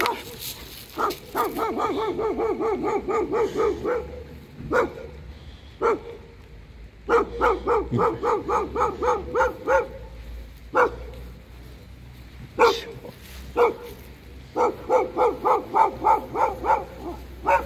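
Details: Angry Alaskan Malamute out in cold rain, giving long runs of rapid, pulsed woo-woo yowls in a mid-pitched harmonic voice, broken by pauses and single sharp barks, over steady rain hiss.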